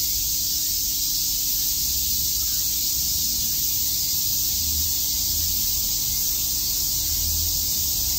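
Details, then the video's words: On a summer day in Shakujii Park, Tokyo, cicadas keep up an unbroken shrill, sizzling buzz, while soft low rumbles rise and fall underneath the insect chorus. "Cicada chirps"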